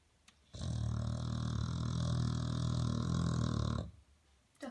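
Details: Duffy the dog snores in his sleep, one long, loud, grating rumble lasting about three seconds, deep and rough, followed by quiet breathing.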